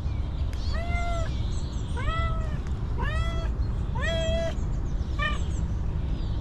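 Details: A hungry stray female cat, long without food, meows five times in quick succession, clear harmonic cries arching up and down, each under a second long, against a constant low-frequency hum.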